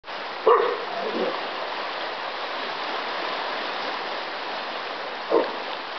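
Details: A dog barks while hunting down a bear that is eating seagulls; two short, sharp barks near the start and near the end, over a steady rush of running water or wind.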